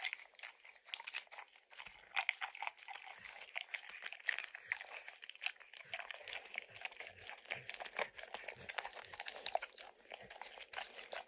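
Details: A dog called Max eagerly licks peanut butter and bits of kibble from an orange mat. A busy, continuous run of moist clicks and smacks comes through, with light crunching throughout and no talking.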